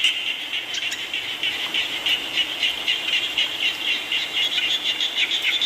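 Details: Frogs croaking while rain falls: short, rattling pulses stacked in a high, continuous chorus, the loudness swelling and dipping every second or so as callers overlap.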